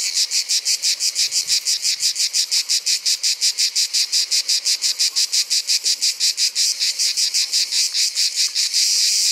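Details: Orni cicada in Provence producing rapid, evenly spaced rasping pulses. Near the end they blur into a continuous high buzz.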